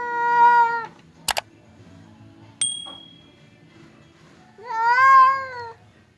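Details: Domestic cats Temon and Lelo, separated by a divider as they square off, give two loud steady yowls, one rising at its start; sharp clicks and a bright ringing ding sound between them.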